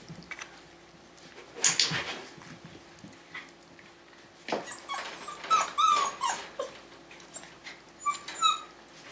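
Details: Five-week-old Tamaskan Dog puppies playing the Puppy Culture box game give short, thin, high whimpers and squeaks in scattered bursts, mixed with scuffling, tapping knocks and a woman's soft praising voice.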